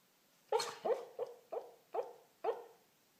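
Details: Corgi dreaming in its sleep, giving six short, muffled woofs in a quick, uneven series over about two seconds. Each is soft and clipped, with a quiet room behind.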